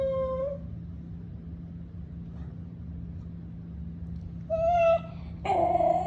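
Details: Basenji dogs Graham and Ginger playing together for the first time in 2012; one short, tonal, yodel-like whine opens, then two more come near the end, the last wavering and strained, over a steady low hum.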